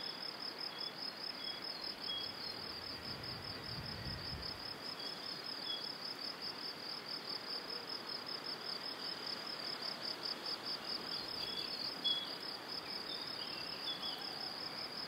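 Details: Evening cricket chorus beside a cereal field and pine forest in Powidz Landscape Park, Wylatkowo, in spring: unbroken shrill pulsing trill, with a few faint thin whistled bird notes and a brief low rumble near the start.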